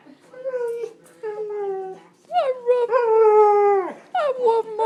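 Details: Husky-Malamute mix pet dog named Cujo, a frequent talker, produces a run of sustained, tonal howling syllables with sharp rising onsets and falling ends, several phrases in quick succession, some ending in a brief whimpering break.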